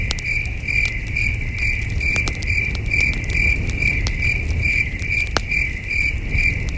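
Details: Night-time crickets at a wilderness campsite under the stars, with a campfire glowing; a bright, ringing chirp pulses steadily about twice per second while wood snaps and crackles and a soft low rumble fills the background.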